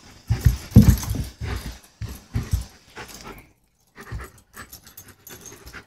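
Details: Playing German Shepherd panting in quick, uneven rasping huffs, strongest in the first two seconds, then a brief silence and softer breaths trailing off to the end.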